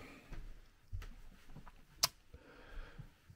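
Quiet room noise with a few soft knocks and one sharp click, with no animal voice.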